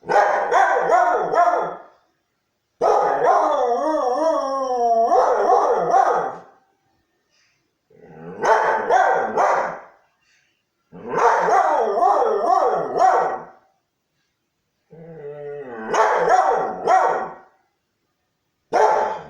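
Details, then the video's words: Husky Hurley reacting to church bells with choppy, yodelling woo-woo howls in bursts of about two to three seconds, separated by short silences, with wobbling pitch throughout. "Church-bells make him howl?"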